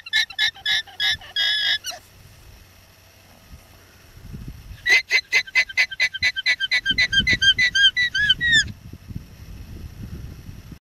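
An alpaca gives rapid bursts of shrill, squeaky, honking notes, repeated several times a second.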